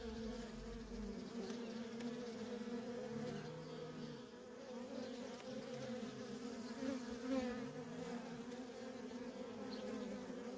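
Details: Worker honey bees flying busily around a feral colony; a steady hum with individual bees sweeping past, their buzz briefly rising and falling in pitch.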